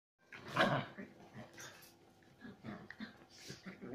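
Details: Chihuahua cross dogs in aggressive play, kept as pets: a sharp loud bark-like burst early on, then a run of low rough growls and short grumbling noises at uneven intervals.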